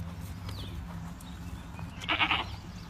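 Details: A Boer goat on a farm gives one brief, bright bleat near the end, preceded by a faint chirp and steady low rumbling noise.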